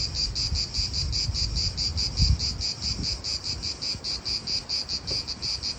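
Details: Pulsing, high-pitched drone of cicadas in a park in Italy, beating rapidly and evenly throughout, with gusty low wind noise and a few soft thumps underneath.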